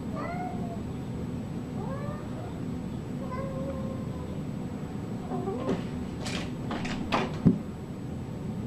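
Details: Cat meowing softly several times, short wavering meows that rise then fall, heard over a steady low rumble of background noise, with a few clattering knocks and scraping sounds near the end.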